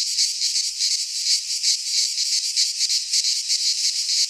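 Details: Greek pine forest cicadas in midsummer give a loud continuous electric buzz, rapidly wavering in intensity about three times a second, uninterrupted and alone.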